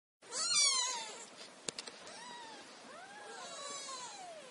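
Several kittens mew together in thin, high, overlapping calls that rise and fall.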